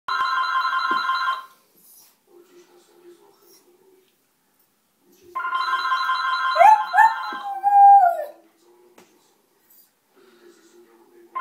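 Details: Pet dog indoors at home howling in reaction to a ringing home telephone: steady electronic ring bursts, then wavering, sliding howls dropping in pitch around 6.5–8 seconds, with soft room sounds between rings.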